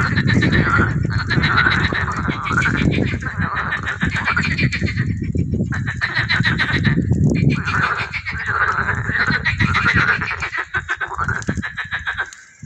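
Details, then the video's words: Chorus of frogs or toads, described as tree frogs, in a teaching pond at a park's butterfly garden. Fast pulsed, rasping calls overlap in continuous waves, with low rumbling background noise underneath and fading toward the end. "Le chant des grenouilles ou crapauds"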